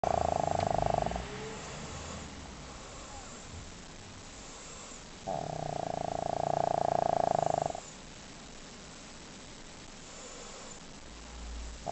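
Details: Pet dog Leo fast asleep and snoring loudly: two long rasping snores with a rapid fluttering texture, one at the start and one around the middle, separated by quiet breathing, with a fainter snore beginning at the end.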